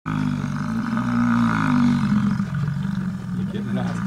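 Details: Large male American bison, called buffalo, sticking its tongue out and grunting to show dominance: one deep, rough, rumbling bellow held for about four seconds, steady and droning with a slight waver, loud and close.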